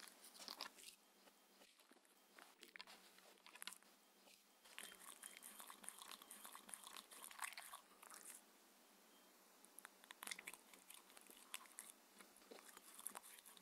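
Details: Six-year-old Shetland Sheepdog Mindy eating dinner indoors on a raw food diet: long runs of crunching and chewing, a brief lull near eight seconds, then more sharp bites and crunches.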